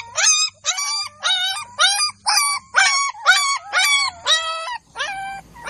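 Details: Village Golden Labrador puppies squeal in evenly spaced, high, bright yelps, each short and slightly bent in pitch, about two every second, on a quiet background.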